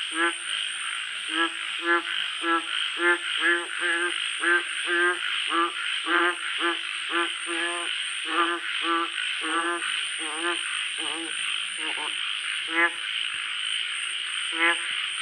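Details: Night-time frog croaking: short, buzzy, nasal croaks repeated almost twice a second in an uneven run, backed throughout by a continuous shrill insect chorus.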